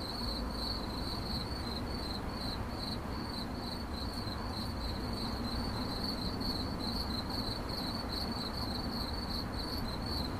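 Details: Unbroken cricket chirping for sleep and focus, 8D-processed: quick high-pitched pulses stream on without pause at a constant pitch, layered over even background hiss and low rumble.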